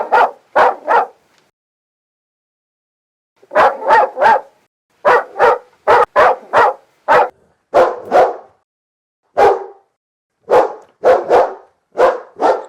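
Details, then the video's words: A compilation of dogs of various breeds, large and small: volleys of sharp, repeated barks in runs of two to four, with one pause near the start, on a clean silent background. "51 Cachorros Latindo - Som de Latido de Cachorros Variados"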